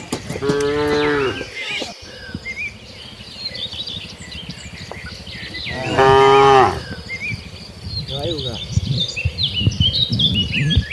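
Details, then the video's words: Village cattle in a herd heading to their barn, lowing with two harmonic-rich moos, one short and one later, over steady rustling and footstep noise, with bird chirps in the background. "kawanan sapi lembu menuju ke kandang nya,suara sapi moo"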